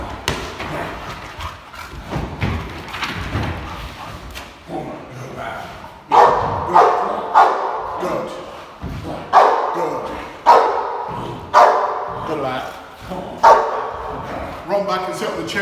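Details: Six-month-old Boxer dog in protection training giving loud, short, rough barks repeated about every second, following quieter scuffling, thuds and some handler talk.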